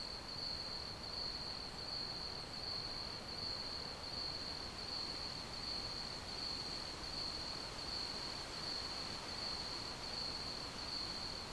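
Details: Crickets keep up a steady, sharp, high-pitched trill without pause, its pitch constant and loudness even, with a soft hissing background throughout.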